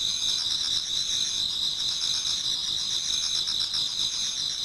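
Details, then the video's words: Chorus of many autumn insects in a Japanese garden at dawn: thin, continuous high trills stacked together, with gentle rhythmic pulses underneath. "Autumn Insects voice Towards dawn"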